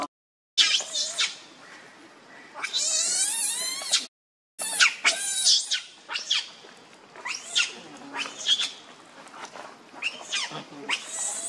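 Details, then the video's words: Monkey Rainbow angrily defending Lucie against Kachoy, giving piercing high screeches with wavering, ridged tones. Bursts are uneven, one long shriek runs over a second, and there is a brief silent gap. "Rainbow Very Angry To Protect Lucie From Kachoy"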